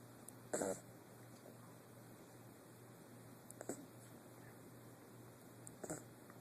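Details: Snoring from Guinness, a puppy of eight weeks: a louder rough snort first, then two quieter raspy breaths spaced a few seconds apart, steady background hum throughout.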